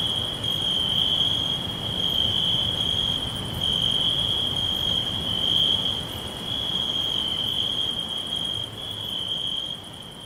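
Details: Crickets whispering all around in a natural green forest: a steady, unbroken high-pitched trill that holds one pitch, with faint pulsing overtones above it and a soft broad hiss underneath.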